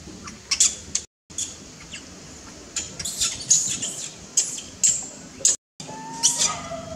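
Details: Unhappy newborn monkey restrained by its mother: quick bursts of shrill, high-pitched squeaks come in clusters, ending with a short, flat tonal whine.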